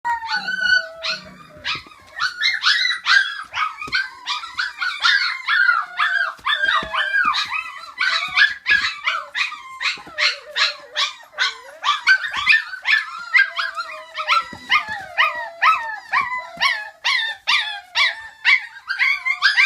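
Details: Five-week-old puppies, a litter of females and two males, howling together: a dense chorus of overlapping wavering, whining howls and yelps that rise and fall, continuous across the whole stretch with some sharp yips mixed in.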